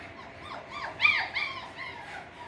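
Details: Thin, high whimpers and yips from six-week-old Russell Terrier puppies at Blossom Valley Kennel, several arching whines in quick succession with the loudest near the middle, set against a low background hum.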